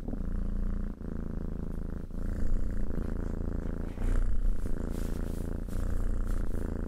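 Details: A domestic cat purrs continuously, a deep buzzing rumble that swells and dips with each breath roughly every one to two seconds, with faint soft rustles.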